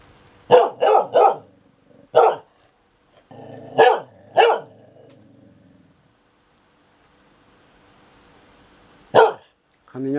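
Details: Dog barking and complaining during thunder: quick series of three sharp barks, a single bark, then low growly grumbling with two more barks, quiet between, another bark near the end.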